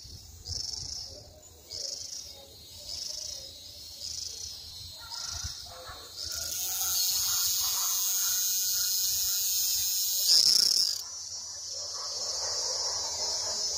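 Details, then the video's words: Cicada song starting as short high buzzing pulses about once a second, then merging into a loud continuous shrill drone for several seconds before stopping, with faint low rumble beneath. "O "canto" da cigarra"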